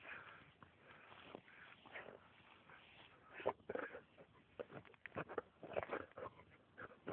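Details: Max, a Samoyed dog, digging for mice: quiet, irregular breathy bursts of panting and sniffing, with short louder huffs clustered in the second half, mixed with rustling, scratching noise from the digging.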